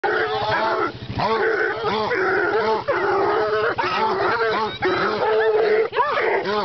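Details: Three dogs bay at a caged raccoon, giving a rapid run of overlapping bawling calls. Each call arches up and then down in pitch, and the calls repeat several times a second with no break.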